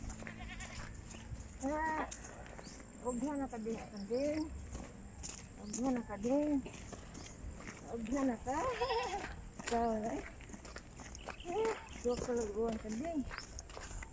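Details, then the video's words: Frogs calling during floods, their voices likened to racing sports cars: a series of loud, nasal, wavering calls that swoop up and down in pitch like a revving engine, given in bursts every one to two seconds over a low background rumble. "When Frogs Sound Like Racing Ferraris and Lamborghinis"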